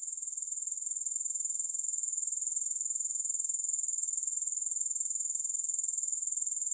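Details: Grasshoppers in a steady, high-pitched chirring trill, a dense pulsing buzz repeating a few times per second without pause, with no music or other sounds.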